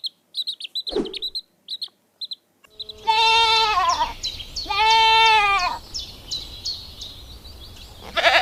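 Two drawn-out, wavering goat bleats, each about a second long and arching in pitch, follow a run of high, quick bird chirps that continue faintly behind.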